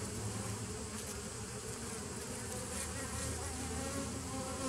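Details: Continuous buzz of bees, 27 September 2018: a dense, even drone with low humming tones weaving beneath the busy, wavering wingbeat noise, steady from start to end.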